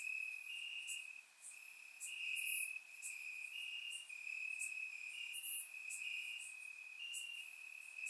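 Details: Crickets in grass at night, warm summer, Bulgaria, surround-microphone recording: an unbroken high-pitched trill swells in waves, with a couple of bright, very high chips standing out.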